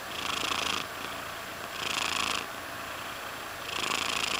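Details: Mysli, a pet cat, purring continuously, with three stronger rasping pulses rising and fading over a few seconds against a soft steady hum.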